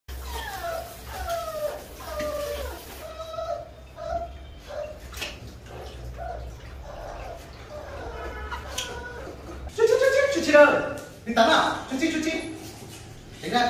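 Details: Labrador Retriever puppies, including Chút Chít, during their first bath ever: a series of high, wavering whines sliding downward, repeated roughly every half second, with women talking softly, low background music and a louder burst of overlapping whimpers near the end.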